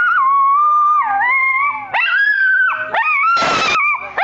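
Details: Two pet dogs singing together, their howling as the blues: long wavering howls that slide down and rise again, overlapping voices, broken by a short sharp yip burst.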